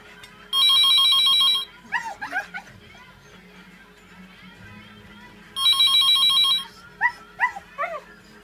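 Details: One-year-old female Siberian Husky reacting with curiosity to a ringing phone. Two bursts of electronic ringtone, each followed by short rising-and-falling yelping howls, three or four in a row, in a quiet room.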